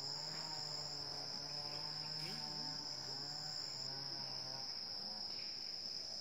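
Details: Wild Asian elephants calling at 7:18 am on 10 December 2016 in Chanthaburi Province, Thailand: a long, steady low hum with rich overtones, briefly broken by short wavering, bending notes, under a continuous loud buzzing of insects.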